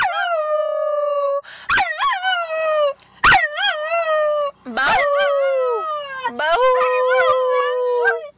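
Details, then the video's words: Male Schnauzer named Brodie joining a person in howling at what should be a full moon: sustained, quavering howls that dip and rise in pitch, broken by sharp yips, the final howl sliding downward. "Schnauzer Howl"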